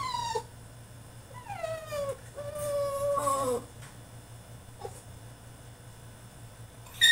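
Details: French Bulldog in his cage during a tantrum, giving soft, long whines that slide downward in pitch, then a steady drawn-out whimper, over a quiet background hum.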